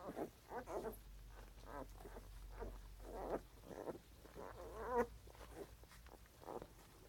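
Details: Puppy making soft, short grunts in irregular bursts across seven seconds, each a low breathy pulse, with a faint steady hum underneath.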